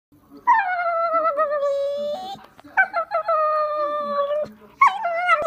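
A Staffordshire Bull Terrier whines in long, drawn-out, wavering tones, asking for more belly tickling.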